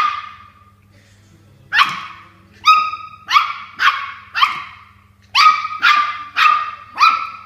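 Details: Toy Poodle barking while fighting a water bottle it is unhappy with; sharp high yappy barks with bright harmonics, a single bark then bursts of two to four, about eight barks with pauses, steady low hum behind.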